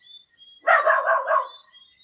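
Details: A dog barks at night in the Jamaican countryside of Portland, a short burst of several quick rough yaps over about a second, with steady whistling insect or cricket tones running through the background.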